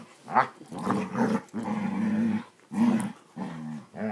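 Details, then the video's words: Basset Hounds growling while playing indoors: rough, throaty growls with harmonic bands, in bursts of about half a second to a second, separated by short pauses. "Bassets playing"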